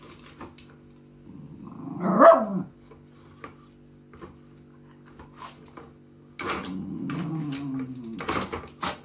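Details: A single sharp bark from Maggie, a female West Highland White Terrier in Germany, then a quiet pause and a drawn-out low whimpering growl, with a constant room hum underneath.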